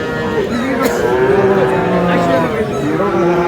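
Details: Friesian and cross-breed bull calves at Aftabganj market in Dinajpur, 29 July: steady, drawn-out low moos with stacked harmonics, overlapping as several animals call amid busy market chatter and bargaining voices.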